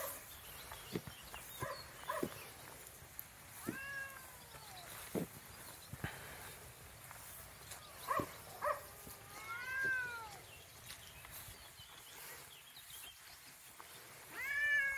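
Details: Cats at the biggest cat sanctuary in Romania, home to more than 300 cats: several drawn-out, arching meows with rich overtones, some rising then falling, heard around four seconds, between eight and ten seconds and at the close, over scattered clicks and low rumble.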